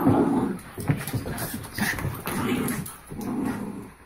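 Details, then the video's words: Two Havanese dogs, Rudy and Belle, wrestling in play: loud rough growls and snarls come in bursts, mixed with short whiny yips and scuffling thuds, indoors. "Havanese Rudy & Belle Wrestle Mania"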